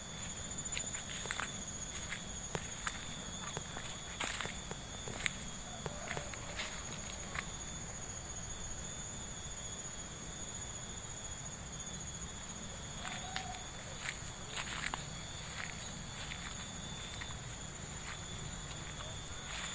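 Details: A continuous insect chorus of unbroken, high-pitched layered tones rings out during a walk through a village in Subang, with footsteps and scattered clicks crunching over it.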